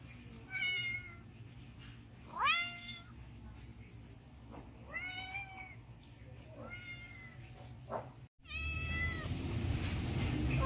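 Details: Domestic cat asking for food with sad, pleading meows, five clear calls spaced a second or two apart, each arching up then sliding down, then a burst of low rumbling noise at the end.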